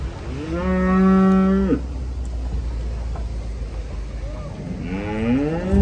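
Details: Cattle being unloaded, jumping from a truck. Two strong moos: the first a long, flat, held bellow ending in a drop, the second rising and wavering after a pause, over a constant low hum.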